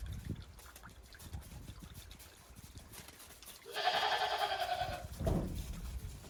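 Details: Goats on a Japanese farm stepping cautiously over fresh snow after a heavy snowfall in late December 2023. A single quavering bleat of just over a second follows crunching footsteps and shuffling noises.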